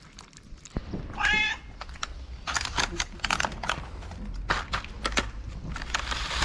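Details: Homeless street cat in Morocco, meowing on seeing the person who feeds stray cats daily: one loud, clear, tonal meow lasting about half a second near the start, then rustling, crinkling and clattering handling noises.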